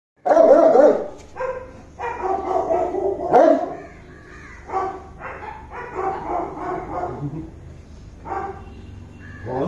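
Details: Saint Bernard guarding a house in Kerala, India, after living with a Doberman and a giant American bully: a series of deep, loud barks in bursts, about eight over ten seconds, some doubled, with short pauses between.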